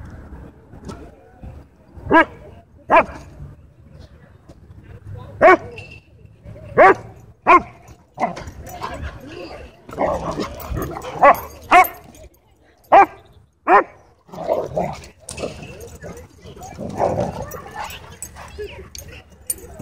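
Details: Dogs at a dog park where happy play is interrupted by a dogfight; scattered sharp barks and yips, several in quick pairs, mixed with growly noisy bursts and human voices.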